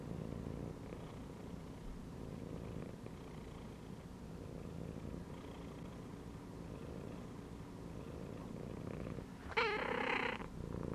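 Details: Domestic cat resting and chilling inside a gym belt, purring steadily as a low, rough, continuous rumble, ending with a short harmonic meow near the close.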